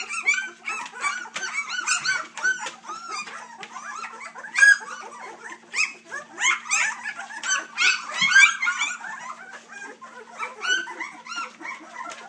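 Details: A litter of three-week-old Dixie x Colby puppies fills the air with a dense, continuous chorus of thin, wavering squeaks and whines, many pups crying at once with hardly a pause, over a faint constant hum.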